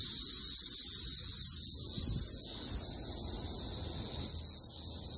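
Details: Thousands of cicadas on a backyard tree in Missouri during the summer 2024 emergence; an unbroken, high-pitched shrill chorus drones throughout, swelling briefly louder near the end, with a person speaking faintly.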